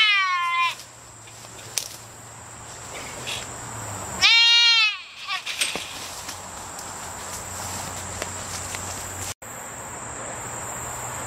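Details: Trapped white-tailed deer fawn in a Michigan gated community fence, calling for its mother: one cut-off scream at the start, then a single loud, harsh, harmonic bleat. Steady high hum and scraping noises follow.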